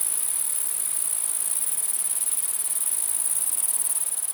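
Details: Night chorus of numerous grasshoppers, an even, high hiss-like buzz holding one pitch throughout, with faint flutter toward the end and no other sounds.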